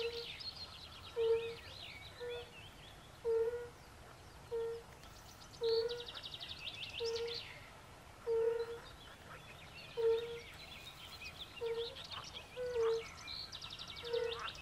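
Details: Chorus at a forest pond where fire-bellied toads call alongside pool frogs; short mellow hoots follow one another about once a second while bursts of rattling, higher-pitched frog croaks rise and fade behind them.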